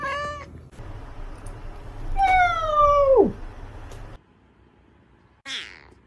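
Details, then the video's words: Domestic cat meowing: a brief opening meow, then a long drawn-out meow that glides steadily downward before dropping off sharply, and a short final call after a pause. Faint low hum in the background. "Cat Meowing"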